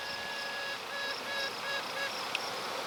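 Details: Honey bee queen, probably newly emerged, piping to let her hive know, with swarm cells present; thin, tonal toots rich in overtones, broken into short pulses of about a third of a second, over a steady hissing hive hum.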